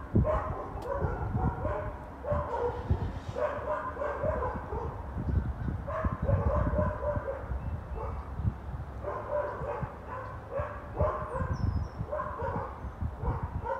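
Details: Four neighbours' dogs barking on January 20, 2021: persistent, rapid barks in overlapping bursts throughout, with brief lulls and a steady low-pitched background hum.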